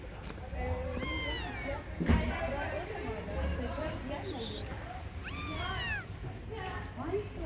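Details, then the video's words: A little cat, a kitten, meows in high, arching cries that rise then fall, three calls spread over several seconds, with faint voices and low room hum behind. "KITT YAVRU KEDİ LİTTLE CAT"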